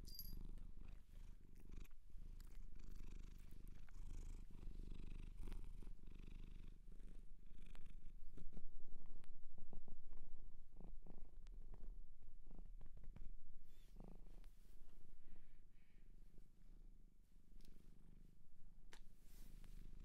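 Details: Close, loud purring from a domestic cat adopted from a shelter in Japan, recorded indoors for ASMR: an unbroken deep rumble that grows stronger midway, with scattered small clicks and rustles of fur or movement.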